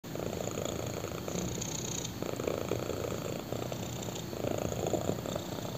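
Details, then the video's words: Black kitten purring while lying on a person's thigh indoors: a steady low rumble with rhythmic pulses, alternating louder inhale and exhale phases roughly every second, recorded close up. "BLACK KITTEN PURRS WHILE LYING ON MY THIGH!"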